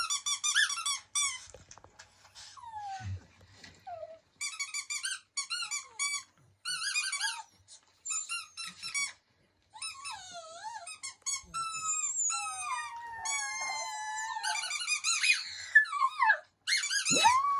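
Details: A female puppy howls and whines in high, squeaky bursts, some wavering and falling, some rising at the end, as she howls along with a video of herself howling for a squeaky toy.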